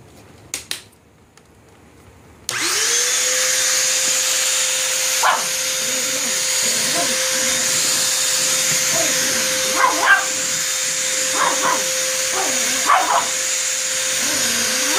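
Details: Indoor dog barking at a running vacuum cleaner. After a short quiet start the machine switches on with a steady loud hum and whine, and short sharp barks break through it at irregular intervals over the last ten seconds.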